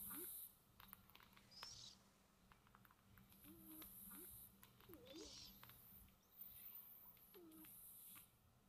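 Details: Sleeping pet cats snoozing peacefully indoors. Soft airy snore breaths come in gentle waves roughly every two to three seconds, with brief faint squeaky notes and light clicks against a low constant hum.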